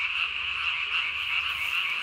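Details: Japanese tree frog, recorded 3 May 2020 after dark with its throat sac blown up as big as its body, gives a sustained high buzzy trill that holds steady without pause.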